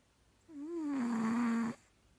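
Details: One long snore from Boabie, a sleeping house cat: a steady, slightly wavering hum with a faint raspy edge, starting a little higher and settling lower before stopping abruptly.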